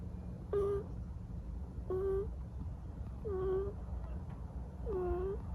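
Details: Munchkin kitten asleep and snoring; four squeaky, nasal whistled snores, each about a quarter second long and dipping then rising slightly, come roughly every one and a half seconds over a low hum.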